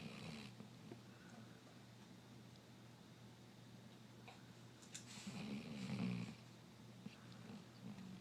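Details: Three-year-old basset hound snoring while asleep indoors: soft, low rumbling breaths swell at the start and again near the middle, very quiet, with a steady low hum running underneath throughout.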